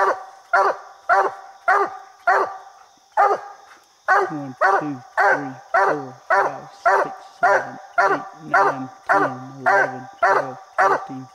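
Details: Coonhound named Bandit barking at a raccoon treed in a little tree during a coon hunt, described as over 70 barks a minute; loud, harmonic chop barks repeated rapidly and steadily, roughly two per second, with faint background hiss.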